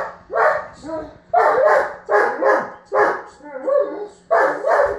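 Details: Male German Shepherd barking in a tantrum after his ball went under the bed: six loud, rough, half-whining barks in quick bursts, each dropping at the end, with short quiet gaps between.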